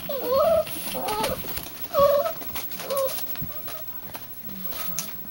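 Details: Kayla's puppies, domestic dogs, calling indoors: a run of high, arched whimpering whines, each rising then falling, repeated about once a second, with faint rustling and background noise between calls.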